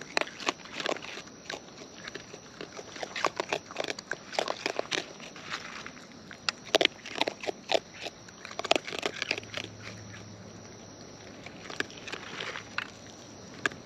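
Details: Wild raccoons munching food up close. Steady crackling crunches and snappy bites repeat throughout in busy irregular runs, with a low hum rising briefly near the end.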